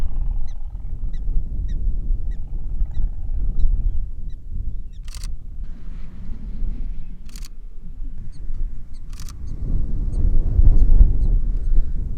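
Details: A prairie dog in Badlands National Park, South Dakota, gives three sharp, bird-like chirps about two seconds apart over steady wind rumble. Observers think the close one is warning others that people are near.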